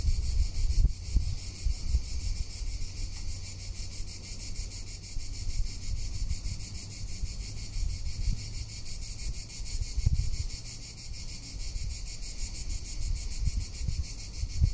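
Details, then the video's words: A summer chorus of cicadas in Tuscany: a continuous high-pitched buzzing shimmer that never breaks, over persistent low wind buffeting with a few sharp knocks. "Cicada or Cigarra - Sounds of summer in Tuscany"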